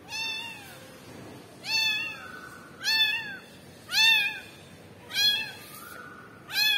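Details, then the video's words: Tiny kitten calling for its mother cat, giving loud, clear, drawn-out meows that rise and fall, about one every second, in a quiet room with a woman's voice briefly nearby. "kitten crying for momma cat"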